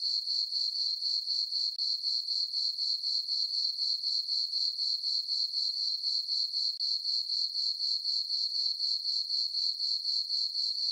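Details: Summer-night crickets in a moonlit farm meadow give a bright, high-pitched chirp repeated roughly four times a second, very regular and unbroken throughout, without wind, voices or other animals.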